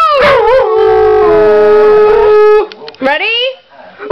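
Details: Six-year-old female pit bull and foxhound mix dog howling when she misses the owner's mother, howling on cue after a spoken "Ready"; one long steady wavering howl held over two seconds, then shorter rising yips and howls.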